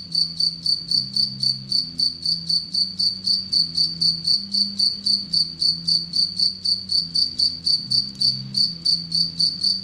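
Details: Long, unbroken run of sharp, high ticking pulses, close to four each second and nearly forty in total, from a captive Anadrymadusa retowskii, a relatively aggressive bush-cricket that preys on Egyptian locusts; faint low hum throughout.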